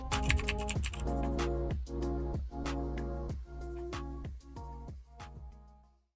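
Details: Steady keyboard typing over sustained background music, with no animal voices.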